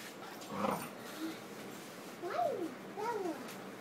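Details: Dog at indoor play with another dog, Holly and Bella, giving a funny little bark likened to a squeaker toy: a muffled yelp, then two short high squeaky arching yelps under a second apart, over a quiet room.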